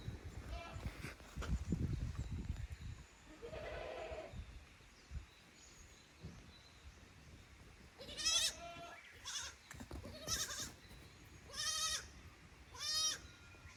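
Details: Goat kids at Yoshigake farm in Japan on 15 May 2024, brought from the lower pasture to explore the upper one; a quiet stretch, then several short quavering bleats in the second half over faint background noise.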